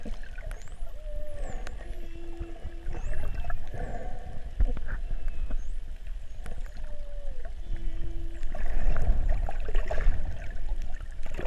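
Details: Curious humpback whale cruising past swimmers among dolphins in 50 feet of water; low tonal moans, a steady hum twice held about a second each, with rising and falling sweeps, over bubbling water, dolphin whistles and clicks.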